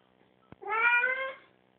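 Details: Oliver, a pet cat sitting in the tub after a bath, gives one clear drawn-out meow lasting under a second, harmonic and slightly falling, preceded by a soft tap in a quiet small room.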